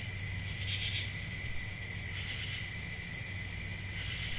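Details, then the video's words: Crickets at night in summer countryside, a steady shrill high trill with one brighter pulse early on and a soft low hum underneath. "Relaxing Cricket Sounds For Sleep | Ambient Summer Night"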